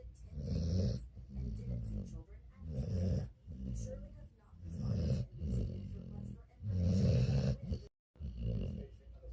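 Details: Dog asleep and snoring: deep, throaty rumbles in repeated swells roughly every one to two seconds, separated by quiet breaths, with a brief silent gap near the end.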